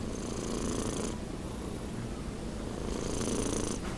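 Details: Nino, a pet cat almost six months old, snores while asleep indoors: two soft, breathy, broadband rasps, each about a second long, rising out of a steady low rumble.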